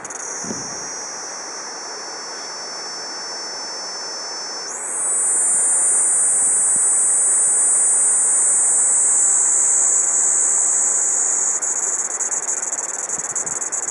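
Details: Kaempfer cicada song recorded around 12:15 PM on 4 August 2012: a continuous high, thin buzzing drone that suddenly jumps higher and grows louder after about five seconds, then runs on steadily.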